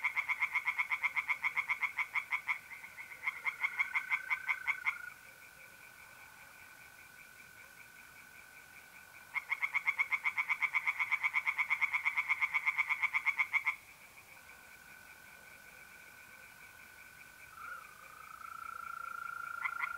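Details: Tree frogs singing in a pond on a mid-April night in north-east Italy: bursts of fast, rattling pulsed croaks lasting a few seconds, separated by pauses, over the steady high trill of mole crickets.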